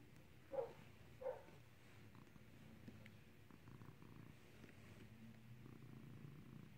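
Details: Skittles, a cat being clicker trained to ring a bell, purring in a low, steady rumble, with two short higher tonal blips near the start and faint room noise.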